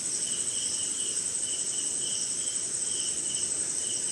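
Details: Night-time cricket chorus in the rain somewhere in India, forest setting; a constant piercing high whine layered with rhythmic lower chirps rising and fading in short pulses, rain pattering faintly underneath.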